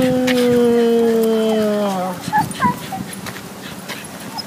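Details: Dog whimpering on a walk while meeting a little fluffy white dog that likes to bark at passers-by; one long, steady falling whine lasting about two seconds, then a few short higher yelps over outdoor background noise.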